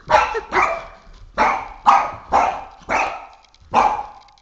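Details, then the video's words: Three-and-a-half-year-old Boston Terrier barking in a rapid volley while fighting a flashlight indoors; seven sharp, harsh barks in quick uneven succession, about two per second, each clipped and bright. "Boston Terrier - Oscar vs Flashlight Psychotic War"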